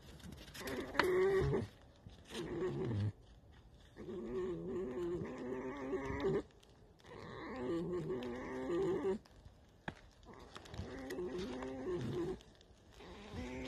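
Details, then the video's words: Tame fox named Alice in the evening, giving a drawn-out creaking, wavering call in four long bouts of two to three seconds with short gaps, low and grating with layered harmonics. "Алиса - Лиса. Вечерний скрип"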